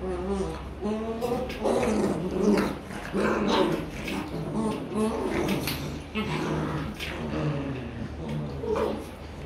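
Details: German Rottweiler puppies in Vietnam play-fighting and practising biting each other; steady overlapping harmonic growls and whiny grumbles rise and fall without pause, with faint human voices beneath.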